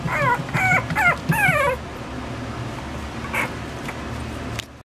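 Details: Toy poodle puppy whining in quick high whimpers that slide downward, four close together in the first two seconds, then quieter background with a faint click or two.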